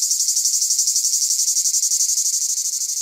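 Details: A cicada gives a loud, high, pulsing buzz that throbs steadily about four times a second. Its legs and wings barely move while its body shakes, the sound being made by its timbal.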